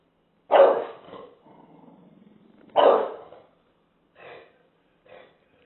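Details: An English Bulldog confronting a taco box gives two loud, deep barks, each trailing into a low rumbling grumble.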